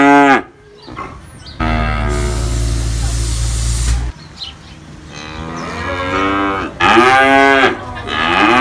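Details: Cattle moo, young and grown: a short low moo, then a long rushing noise like spraying water or wind, followed by fainter moos and a loud drawn-out bellow near the end.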